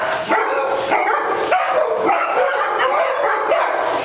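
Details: Several day-care dogs in Las Vegas with the zoomies, October 5, 2009; short barks and yips come in quick, irregular bursts, roughly one to two per second, over a constant crowd of other barking.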